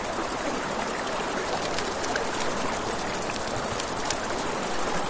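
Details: High, rapidly pulsing chirps from a night chorus of crickets by a river. Dense, fast pulses carry through the whole stretch, with crackling campfire snaps and a low river wash beneath.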